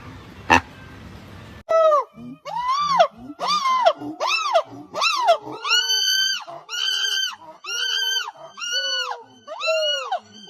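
A monkey gives a run of harmonic, arching wails and squeals, each rising then falling.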